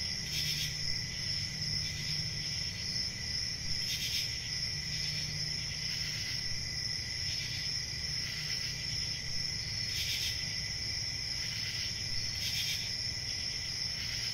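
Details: Crickets chirping in a steady high-pitched continuous trill, with brighter bursts surging roughly every two to three seconds over a low background rumble.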